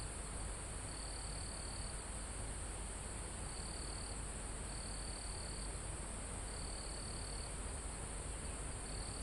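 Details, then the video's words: High in a mountain forest, crickets and insects sing live: a continuous shrill hum topped by separate trilled phrases of around a second, spaced at uneven intervals, while breezy wind through trees and foliage rumbles softly below. "Calm Forest in Mountain With Crickets, Insects Sound"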